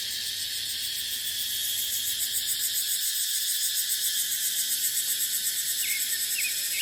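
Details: Cicadas in dry dipterocarp forest during the dry season: a dense, unbroken high buzzing drone with a fine pulsing shimmer. Faint short bird chirps come in near the end.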